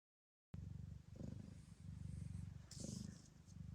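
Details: Gambit, a blue bicolour female Ragdoll cat at an Australian breeder's, purring while giving birth to her litter; after half a second of silence comes a steady, deep, rapidly pulsing rumble with a brief hiss-like burst near the end.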